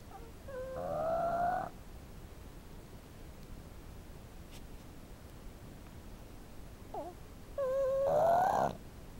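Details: A 5-month-old female Boston Terrier snores while asleep on her owner's lap, with whistling, nasal tones, each breath a rising wheeze about six seconds apart.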